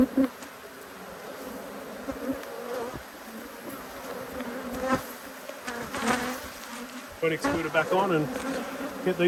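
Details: Honey bees irritated by an inspection of their two hives keep up a low, rough buzz that thickens midway, with a person speaking toward the end.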